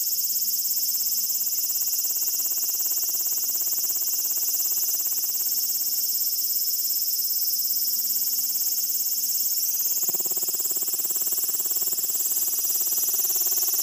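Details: A cicada on a window in Tokyo on 12 August 2016 sings a loud, unbroken, high-pitched buzz that shifts slightly in tone partway through.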